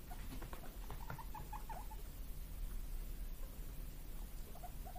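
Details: Pet guinea pigs, two brothers born 31 March 2022, squeak while waiting impatiently for vegetable treats; a brief cluster of wobbling squeaks in the first seconds, then quiet, and a couple of faint notes near the end.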